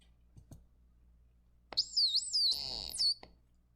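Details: Dolphin whistles played back in a lesson: a few squeaky, high, wavering whistles that rise in pitch, the last one very high, with a couple of sharp clicks at the start and end. Room noise is faintly audible beneath.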